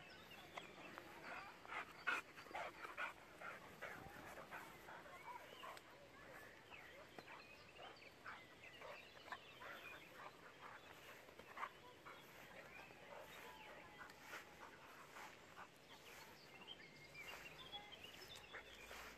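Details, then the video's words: Six-year-old German Boxer named Jack playing with a young pitbull; quick irregular panting and short vocal bursts, scattered faint yelps and squeaks over a steady outdoor background hiss. "boxer dog Jack and pitbull playing"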